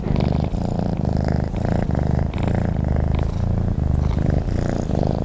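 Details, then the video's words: Close, continuous purr from a cat asleep: a low, buzzing rumble broken into even in-and-out breath cycles, about eight of them, steady in loudness throughout. "Sleep and the sound of a cat purring"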